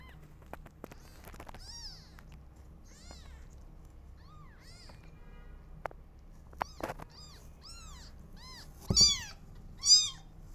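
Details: Newborn kittens meowing loudly while their mother is not feeling well; many short, arched, high-pitched mews overlap in quick succession, with scattered clicks and two loud, sharp cries near the end in a quiet room.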